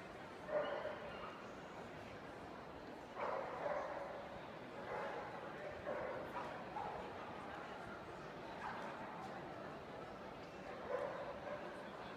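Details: Indoor dog show hall, Bundessieger Dortmund, Germany, 17 October 2015, with black male Miniature Schnauzers: short loud barks every two to three seconds, each a brief cluster, against steady chatter and crowd hum.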